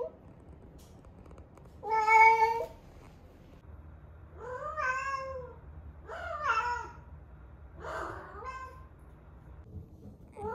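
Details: Female rescue cat Ame, eleven months old, in her first heat, in Osaka, Japan, before her spay, calls indoors: four loud, drawn-out harmonic meows, the first flat and strained, later ones bending up then down, roughly every two seconds.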